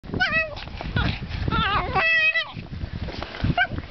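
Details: Seven-month-old pug making odd noises: squeaky, tonal whining calls with bending pitch in short bursts, some rising then falling, scattered through the clip over a background of rustling and low handling sounds.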